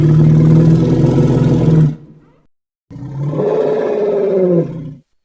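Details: An African bush elephant tusker gives two deep, harsh, roaring rumbles separated by a brief pause.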